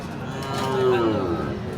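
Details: Sahiwal bull at Aftabganj cattle market in Dinajpur, Bangladesh, on 19 February 2025, giving a single drawn-out moo that rises then slowly falls, over a busy market hum of crowd voices.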